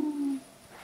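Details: Furry kitten, trying to get away with a toy and responding to threats, gives one short, low, owl-like hooting note that fades within half a second, in a quiet indoor room.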